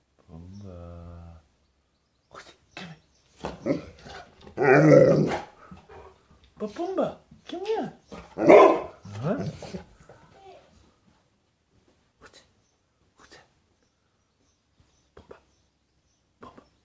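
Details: A Golden Retriever makes odd groaning, whining sounds and half-formed woofs, trying to bark, while a person calls to it.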